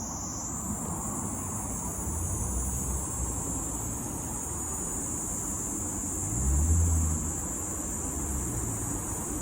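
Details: A Kaempfer cicada (Platypleura kaempferi) sings a steady, high, shrill, unbroken buzz over low traffic rumble in Tokyo, Japan, on 6 July 2022.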